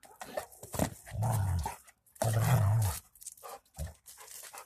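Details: Two Rottweilers during a warm-up, with low sustained growls lasting about a second each, separated by snorts, clicks and short breathy noises.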